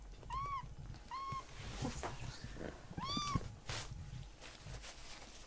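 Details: Rescued baby kitten meowing to ask for more treats: three short arched meows near the start and middle, each with bright stacked harmonics, over low indoor rumble and faint clicks.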